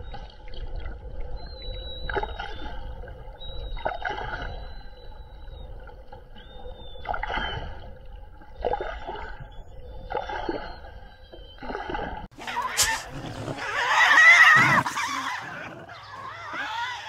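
A sirenian gives short, high squeaky chirps with a faint ringing edge, repeated every second or two.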